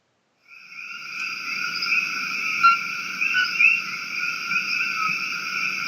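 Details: A dense night chorus of common coqui frogs, small frogs endemic to Puerto Rico and possibly recorded on Maui where they are invasive, gives high, piping whistles overlapping into a steady ringing din.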